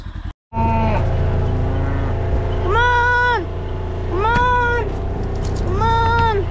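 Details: Cattle being moved home on a farm on July 4th, lowing in long, drawn-out harmonic moos roughly every one and a half seconds, with steady engine rumble underneath.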